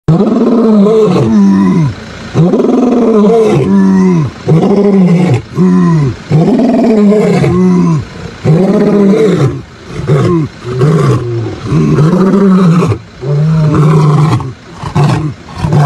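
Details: Mbiri male lions roaring in the morning on 16 September 2023 in the Sabi Sands, Kruger area: deep, throaty roars rise and fall in a long series of loud, closely spaced grunting pulses, with no other sounds.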